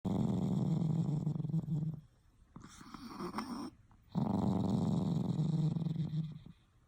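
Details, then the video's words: A pet dog makes low, rough, rasping sounds, either snoring or growling. There are two long rumbling breaths about two seconds each, separated by a softer, quieter stretch. "snoring or growling??"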